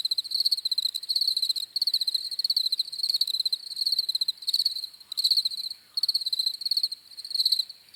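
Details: Chorus of crickets giving high, rapid pulsed chirps in short bursts separated by small pauses, overlapping callers keeping a constant ringing background, nothing else audible.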